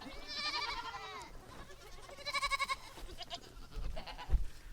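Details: Nigerian Dwarf goats, a small dairy breed, on a homestead bleat twice: first a quavering, drawn-out cry of about one second, then a shorter, pulsing bleat, followed by soft rustling and thumps.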